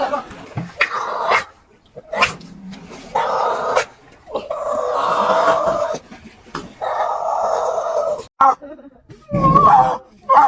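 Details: Seal. A seal calls in rough, honking moans and gruff barks, some stretched for a second or two, others clipped short. A person laughs and speaks briefly near the end.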